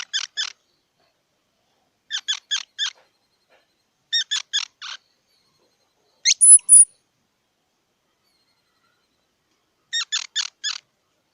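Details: Squirrel giving clipped squeaky calls in tight groups of three or four quick notes, with a group about every two seconds, and one thin, very high whistled note in the middle of the sequence.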